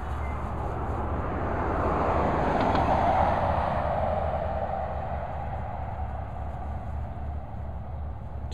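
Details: Steady low rumble of passing traffic and a broad murmur like distant speech fill the recording, swelling slightly in the middle, with no animal voice standing out.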